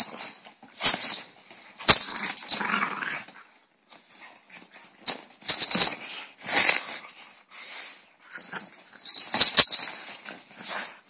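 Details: Several French Bulldogs playing give bursts of high, hissy snorts and squeaky whines, coming in uneven spurts.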